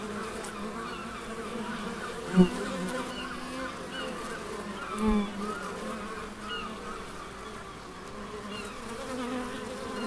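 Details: Bees drone among the Biblical Gardens in Elgin, Moray, Scotland. The layered, continuous buzz has two short, louder bursts as individual bees fly close past, around the third and fifth seconds.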